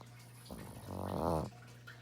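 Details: A pet dog's single snore, a rough, buzzy intake swelling to a loud peak about a second long, set against a steady low background hum indoors.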